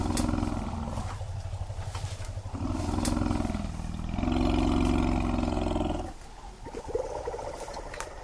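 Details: An African elephant herd feeding in dense mopane woodland: a startled calf separated from its mother, who with most of the herd responds with deep, harmonic rumbling roars in three overlapping two-second bouts, faint clatter behind; she then comforts it with a drink.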